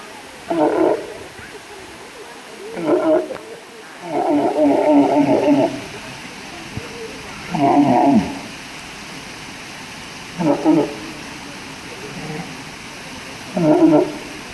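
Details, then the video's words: Walrus calling repeatedly: short, rough, harmonic roars, one lasting nearly two seconds, recurring every two to three seconds with hiss between them. "Walrus funny Noises"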